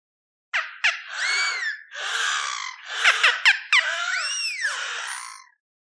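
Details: A beluga whale (Delphinapterus leucas) gives bright rising and falling whistles mixed with squeaky chirps and quick clicking bursts.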